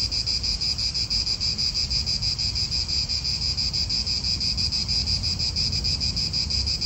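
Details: Shrill cicada chorus in an Italian park: an unbroken high buzz beating in rapid, fairly even pulses roughly three times a second, with gentle wind and faint low rumble behind it.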